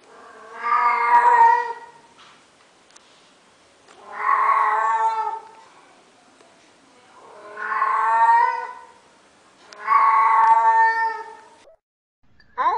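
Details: Domestic cat, a female in heat, yowling in a series of four long moaning calls, each about two seconds with steady, wavering harmonics, spaced by roughly two-second pauses in a quiet room.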